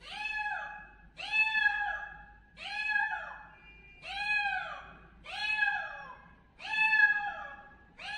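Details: Loud, insistent kitten meowing: six clear rising-falling cries in steady succession, each about half a second long, in a quiet indoor setting.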